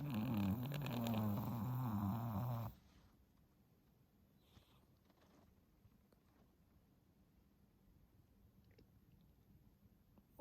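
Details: Ten-month-old Pomeranian named Stella asleep, snoring since showing reverse sneezing; a rough, buzzing snore with wavering tones fills the first three seconds, then near silence with faint rustles.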